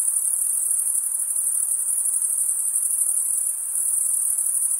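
A steady, high-pitched insect chorus of shrill continuous trilling fills the night.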